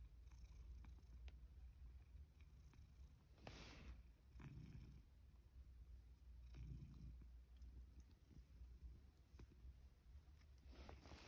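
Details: Rescued male cat, born around spring 2019, comes for breakfast after being called, in autumn 2023 in Higashiōmi, Shiga, Japan. He gives a steady, low, continuous purr, with a few louder rustling bursts and faint clicks in the background.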